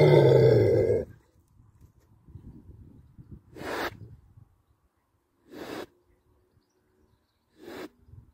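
A wild boar opens with a long, loud, rasping grunt, followed by softer rumbling snuffles. Three brief, gruff grunts follow at intervals of about two seconds.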